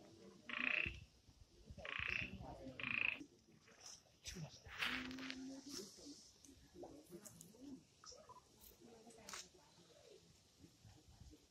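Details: Frogs calling at night in the Amboli hills, Sindhudurg, India, with short, sharp, tinny notes from several overlapping voices.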